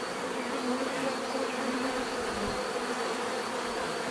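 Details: Bees buzzing in a steady, dense drone with a low hum band and brighter overtones, continuous throughout with no breaks.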